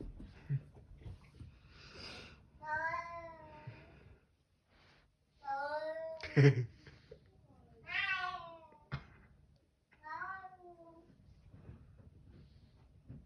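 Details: Bengal cat indoors in a small room, meowing repeatedly: several drawn-out, strongly harmonic meows that bend up and down, spaced a second or two apart, with a child's voice talking between them.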